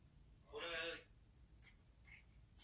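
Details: A 10-week-old Pekingese puppy boxing its reflection in a mirror gives a single brief, high, raspy yap, followed by faint squeaks and rustles indoors.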